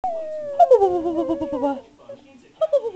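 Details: Louis, a pet spaniel, talking and answering back to his owner: a drawn-out whining howl that slides downward from high to low pitch, then a shorter falling whine after a pause.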